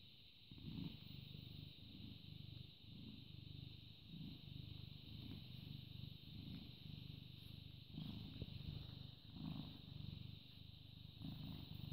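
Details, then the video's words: British Shorthair cat, born 18 August 2010, captured purring on 14 May 2017 at 09:16: a deep, grainy, continuous rumble rising and falling with breaths every second or two, with faint background hiss. "British Shorthair Cat purring"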